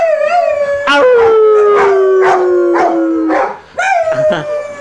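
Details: Golden Retriever kept as a pet, howling for its first time: one sustained howl that glides slowly downward for over two seconds, preceded by a short rising note and followed by a brief wavering yelp, with sharp taps throughout.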